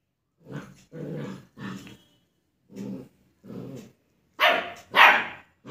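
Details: German Shepherd puppy in India barking at its own reflection in a mirror inside a study room: a series of short, low, gruff barks roughly one per half second, ending with two louder, harsher, higher barks.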